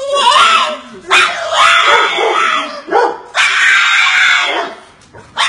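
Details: Bulldog protesting after missing out on a walk, giving strained, wavering whines and yowls in roughly one-second bursts, with pitch bending up and down and short pauses between outbursts.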